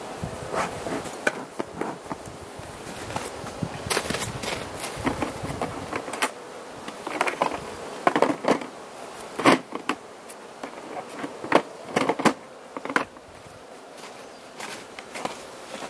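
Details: Carniolan honey bee colony in its hive, Southern Finland, 16 March 2017, outside temperature +3 C, opened for feeding by the Mountain Camp method; a low murmuring hum under frequent sharp clicks, knocks and rustles from handling.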